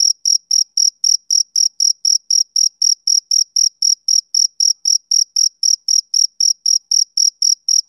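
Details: A male cricket chirps in a tight, regular train of around thirty bright, high pulses, roughly four each second. The background is clean and silent between pulses.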